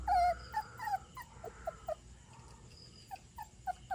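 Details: Stray puppy, possibly a retriever type, that wandered in late at night and was taken in, crying indoors: a string of high, thin whines and whimpers, some sliding downward, repeated roughly every quarter to half second, with a woman's voice nearby.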